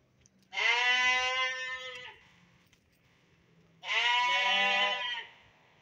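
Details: Young sheep and fat-tailed dunba let out of the pen for exercise call twice, each bleat about a second and a half long, rich in harmonics and slightly wavering, separated by a brief pause.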